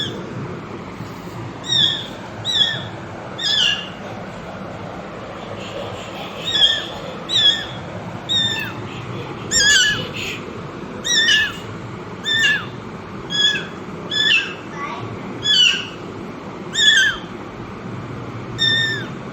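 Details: Mother cat and kittens: short high mews repeated about once a second in a long regular series, some paired, over constant low background noise.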